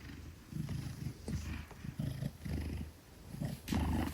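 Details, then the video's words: Maine Coon named Gelic, about 10 kilograms, held safely in arms and purring; deep throbbing rumble in rhythmic bursts, swelling and fading with each breath, a brief rustle near the end. "10 Kilograms of Pure Purrs: Gelic in Safe Hands"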